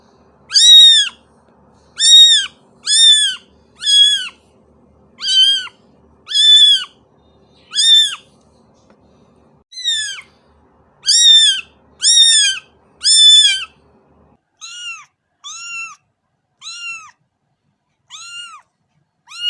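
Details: Kitten calling in a steady run of short, clipped, arched meows about one per second, loud at first then softer and sparser in the final seconds, with faint low background noise.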